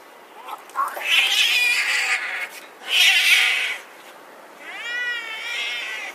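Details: Domestic cats fighting on a road, giving loud harsh yowls and screeches in three bursts, the last a wavering, rising-and-falling caterwaul with strong harmonics, separated by brief quieter gaps.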